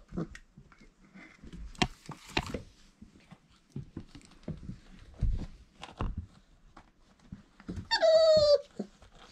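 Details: Four-week-old Irish Setter puppies indoors; amid shuffling and scattered knocks, one puppy gives a single high, drawn-out whine that slides downward near the end.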